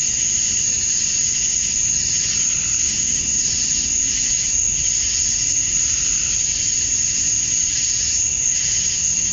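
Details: Male cicadas calling to attract females at dusk on a summer night in Georgia, USA: a steady, shrill, high-pitched drone with a softer pulsing hum beneath it, unbroken throughout.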